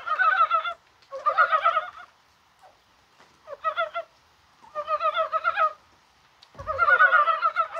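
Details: Dybowski's brown frogs calling on a mild, rainy 21 January in Korea: five bursts of rapid, chuckling pulses, each under a second long, separated by short quiet gaps.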